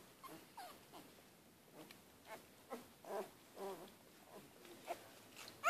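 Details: Sleeping one-week-old Siberian Husky puppies, Zeebee's litter, give soft squeaky whimpers and short yips at irregular intervals, roughly every half second, with a sharper rising squeak at the end, in a quiet indoor room.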